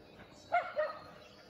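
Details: Shelties running at full speed, one giving two quick sharp barks in a row, the second slightly lower, over a faint outdoor background.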